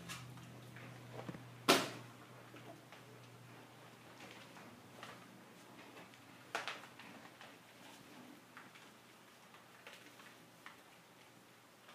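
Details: A quiet indoor room holds a steady low hum, one sharp click and scattered soft taps and knocks.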